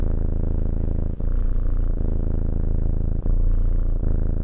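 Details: Cat purring as it is stroked, a loud, low, vibrating drone with short gaps at breath changes, around every one to two seconds.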